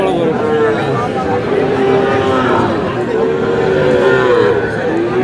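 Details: Among Sahiwal breed calves bought by a Chuadanga farmer on 4 July, several steady moos follow one another, each a sustained tone with faint wavering, under constant crowd hubbub.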